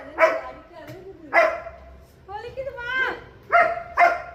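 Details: German Shepherd dog giving single loud, harsh barks spaced about a second apart, with a softer sliding whine-like sound between barks.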